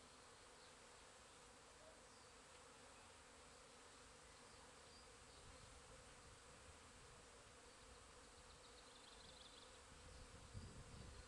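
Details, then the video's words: Busy bees in a back garden on 8 April: a steady, dense buzzing hum throughout, swelling slightly louder toward the end. "bees in back garden"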